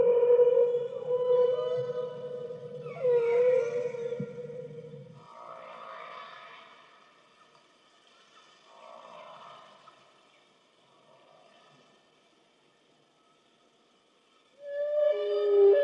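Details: Humpback whales beneath a boat off South Maui, Hawaii, 24 January 2013, sound a drawn-out steady moan that ends in a wavering upsweep. Softer blurred groans fade away during a long quiet stretch, then a loud rising wail returns near the end.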